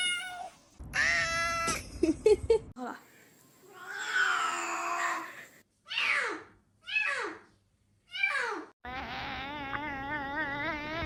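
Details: Domestic cat making various strange vocalizations indoors: long wavering harmonic yowls, then a run of short falling meows with gaps between, ending in a sustained quavering cry.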